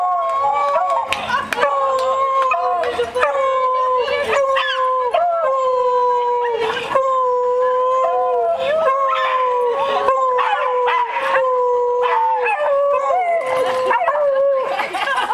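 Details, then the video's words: Several beagles howling together at an annual beagle meet-up cookout; overlapping long, wavering howls held steady then bending in pitch, broken by sharp barks and yelps, with people talking in the background. "Howling Party"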